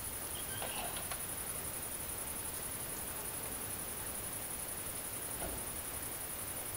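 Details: Great green bush-cricket (Tettigonia viridissima) singing at night during mating in the countryside of central France on 22 August 2016: a continuous high, pulsing buzz held steady throughout, over a constant hiss of background noise, with faint brief clicks.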